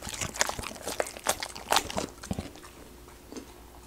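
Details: Golden retriever crunching raw sweet potato in a mukbang-style ASMR recording; sharp crisp bites cluster in the first two seconds, then fade to softer, sparser chewing.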